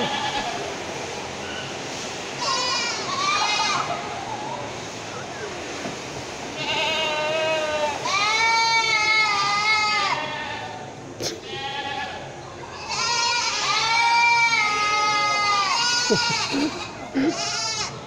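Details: Goats on a farm making a loud noise: bursts of harmonic, wavering bleats, some rising then falling, in clusters around 7 to 10 seconds and 13 to 16 seconds, with overlapping callers and a busy background.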